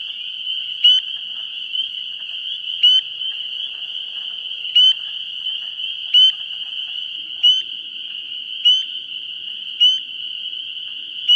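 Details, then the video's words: Pre-spring amphibian activity at a vernal pool on 17 March 2016: frogs keep up a steady high-pitched trilling chorus while a close caller repeats a sharp, rising peep about every one to two seconds, nine times in all. "Pre-Spring Vernal Pool Amphibian Activity"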